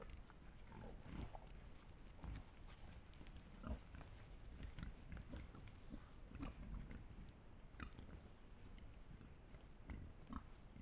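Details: Pack of wild boars captured by a trail camera in Estonia: low, rough grunts repeat throughout amid steady rustling and snuffling, with short clicks and taps scattered across the recording.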